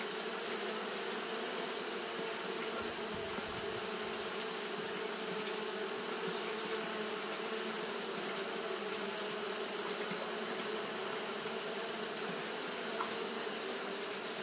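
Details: Japanese honey bees fanning nonstop in hot weather produce a constant buzzing hum with clear low overtones, a steady high-pitched whine above, and a brief soft knock near the middle.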